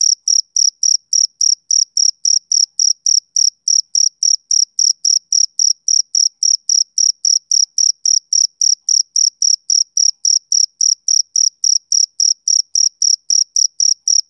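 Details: Male cricket on a summer evening, a steady train of short, high, pure chirps repeating about three to four times per second, evenly spaced with a faint upper overtone; no other sounds intrude.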